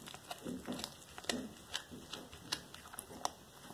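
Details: Black tabby cat Cracker devouring a whole small rat as raw prey, February 13, 2022: scattered sharp crunching clicks and soft wet chewing bursts at irregular half-second gaps, with a steady faint high tone underneath.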